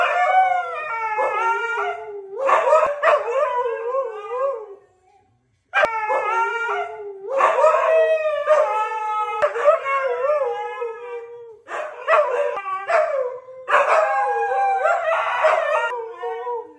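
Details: Siberian Husky brothers howl in long, wavering, mid-pitched notes with rich harmonics, amid laughter and music.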